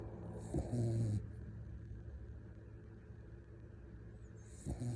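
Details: Sleeping puppy snoring: one low, rasping, droning breath near the start with a hissy airy edge, then quiet breathing and the start of another snore at the end, over a steady low background hum.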